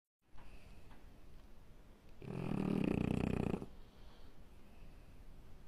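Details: A French bulldog snoring while asleep indoors, one long rasping, rumbling snore swelling and fading over about one and a half seconds between quieter breaths.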